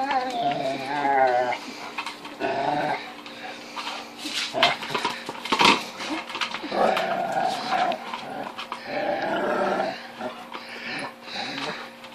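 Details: Female Rottweiler indoors, frustrated while trying to bite into an unbreakable 10-inch wiffle ball toy, recorded on a phone; wavering whines and crying mixed with low growls, chewing thumps and knocks of the ball.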